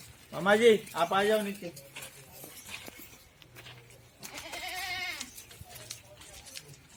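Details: A goat at a goat farm in Ajmer, Rajasthan, gives two quick wavering bleats, then a longer quavering one a few seconds later.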